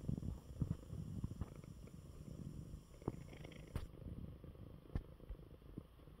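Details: In his bed after eating well, the convalescing male cat Coco gives a strong, close, deep purr, rhythmic and rumbling, with a few light knocks and rustling movements scattered through.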